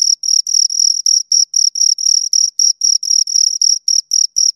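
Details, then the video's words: High shrill chirps of two crickets recorded close, a rapid regular pulse of buzzy trills around four per second, loud and clean with no background noise. "Two Crickets Chirp Sounds"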